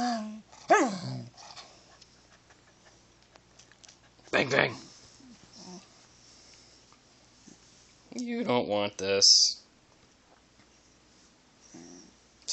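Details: Stubborn pet dachshund at home, balking at a training session as the owner keeps urging it to speak: a few short, falling barks and grumbles scattered among the owner's talking.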